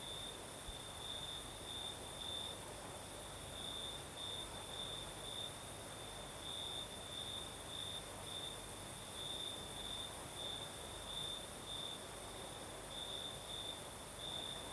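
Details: Crickets singing on a southern night in Crimea with a night breeze: a steady high trilling band pulsing in short bursts, continuous and layered over a broad soft hiss of breeze and a faint high insect drone.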